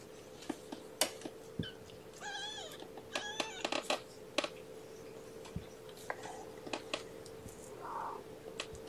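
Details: Kittens from a litter of five, born April 14th to mother Gamora, at breakfast time indoors: two quick bursts of thin, high, wavering mews with rich overtones, each a few short cries, over clicks, rustling and a steady low hum.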